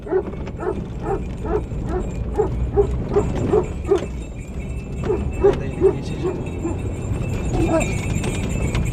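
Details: Several Anatolian shepherd dogs, Malaklı and Akbaş, surround a car in Anatolia, Turkey, guarding their flock and home against strangers; a run of rapid, fairly regular barks from a distance, with low rumbling engine-like background noise.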